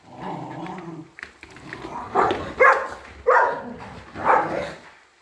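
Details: Shiba Inu named Ten-chan, a pet dog, giving a run of short, strained vocal bursts, whiny and yelping, four louder pulses after a quiet low murmur in the first second.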